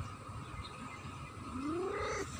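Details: A cat utters one rising, drawn-out meow lasting under a second near the end, over a steady low rumble and background hum.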